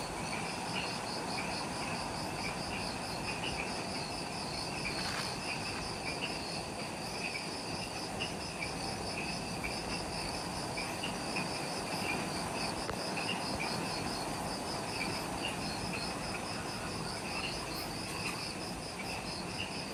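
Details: Twilight insect chorus in forest at the Mount Omoto trailhead, Ishigaki Island, Okinawa, Japan, recorded just after sunset: evenly beaded high chirps and a softer mid-pitched pulsing trill repeat steadily throughout, layered over a constant hissing ambience.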